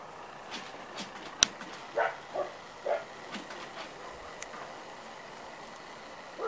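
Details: Six-week-old Corgi puppies in a litter give a few short, high yips in quick succession around the middle, with a sharp click early on and quiet room noise throughout.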